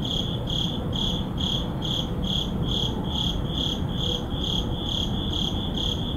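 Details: A cricket chirps steadily at midnight in an urban neighbourhood, short high trilled pulses about twice a second over a low rumble.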